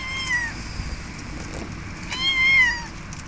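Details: Domestic cats in front of a window; two drawn-out, harmonic-rich meows, the first short and falling, the second longer with a rising then falling pitch, separated by about two seconds of low background hiss.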